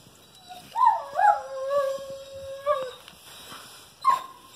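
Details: Great Pyrenees and German Shepherd cross puppies, recorded 12/29/18; a drawn-out, wavering howl slides down and holds for about two seconds, then a short higher yelp follows.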